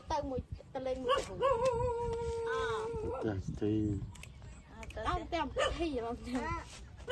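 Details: Puppies, 27 days old, suckling milk from their mother: high, wavering tonal whimpers, some held long and flat, others bending up and down, in a busy run of overlapping squeals.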